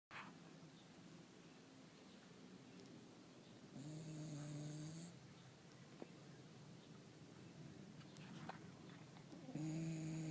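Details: Sleeping dog snoring peacefully indoors: a low, soft rumbling breath sound throughout, with two louder droning, slightly whistly snores near the middle and at the end.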